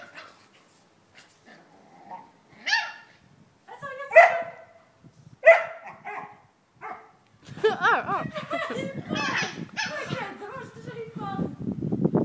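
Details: Two dogs, a Maltese named Winnie and a Hungarian Vizsla named Billie, face off: a few sharp, separate barks spaced about a second apart, then a busy stretch of overlapping yaps, whines and rough growling play sounds, with some human voices.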